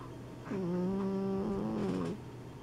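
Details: Sleeping Exotic Shorthair and Persian cats, two pet cats snoring; a single drawn-out, low humming snore holding a steady tone for about one and a half seconds, slightly wavering at the end, in a quiet indoor room.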